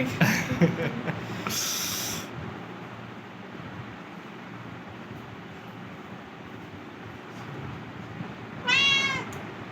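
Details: A cat at a vaccination for rabies and flu gives one short, clear, rising-then-falling meow near the end. People speak Bengali in a calm, soothing tone at the start, with steady background hum throughout.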